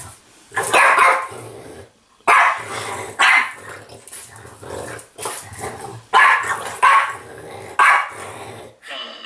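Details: A snorty French Bulldog play-fights an interactive Legendary Yoda toy indoors. It gives rough, growling barks in bursts about every one to two seconds, with brief quiet gaps and faint speech from the toy.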